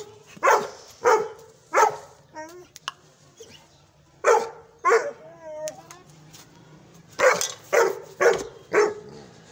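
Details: A young Gull Terrier gives deep, forceful barks in short bursts of two or three.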